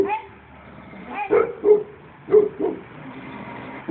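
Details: Aged Shar Pei, fifteen years old, giving a few short barks in quick pairs, with a softer whine-like tone at the start and a brief pause between pairs.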